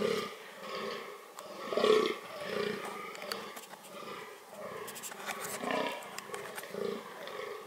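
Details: Fallow deer shown during its reproductive behaviour, giving deep, pulsed, throaty groans in a steady rhythm of rough bursts, with occasional sharp clicks and rustling around them.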